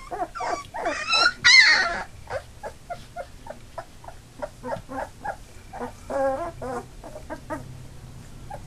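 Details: Eight Labrador Retriever puppies, two days shy of three weeks old, with eyes open and starting to walk, make a run of high whining yelps and squeals, about three per second, loudest near the start, then steady rhythmic whimpering.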